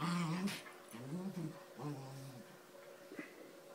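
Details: A small dog in a fight with a Doberman gives brief low growling and whining bursts that rise and fall, followed by quieter room noise.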